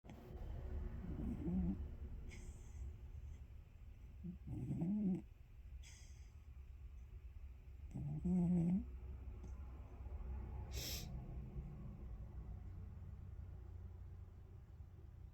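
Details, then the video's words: Sleeping cat snoring: low, rasping snores come in three rough bursts about three to four seconds apart, each lasting under a second, against a quiet indoor hum with a brief sharp click near the end. "snoring cat"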